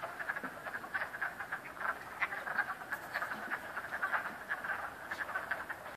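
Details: Chorus of frogs at Cranberry Lake, numerous overlapping croaks forming a continuous rattling din, brief pulses stacking rapidly with no other sounds standing out.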